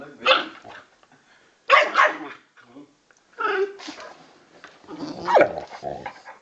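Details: A 10 kg Old English Bulldog puppy play fighting with a 40 kg male Bullmastiff cross: four loud, harsh bark-and-growl bursts about a second long, separated by short pauses, the last ending in a sliding yelp.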